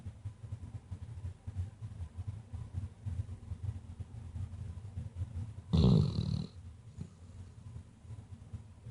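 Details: Weimaraner dog sound asleep indoors, snoring in low, rhythmic rumbling breaths about once per second; a brief louder snort interrupts midway as she stirs, then the steady soft snoring resumes.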